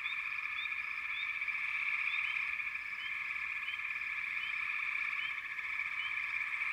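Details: Many frogs trill at once in a continuous, even chorus, punctuated by quick, high, upswept chirps roughly every half second across the whole stretch.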